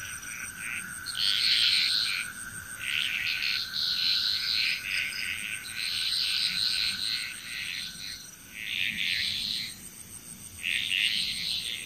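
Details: Frogs calling together in Bali, Indonesia, a dense chorus of rapid rattling croaks rising and falling in loud bursts, with a continuous thin high whine and a faint steady tone underneath.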